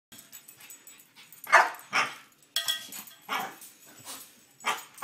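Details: Excited pet French Bulldog reacting to a cow bell, giving a string of sharp, rough barks spaced roughly half a second to a second apart, with softer huffs and whines between them and a faint metallic ring.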